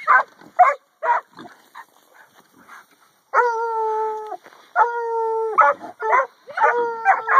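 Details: Two 8-month-old pups in a pen, a McHugh line Catahoula and a black and tan Coonhound, giving pigs a hard time one afternoon: quick choppy barks, then long sustained howling bays alternating with short barks.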